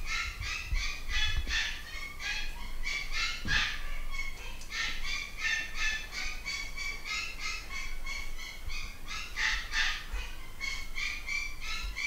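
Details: Chorus of a UK-bred Malshi litter, boys and girls nine weeks old, squealing in fast repeated bursts, roughly three per second, the piercing harmonic yelps of several puppies overlapping throughout.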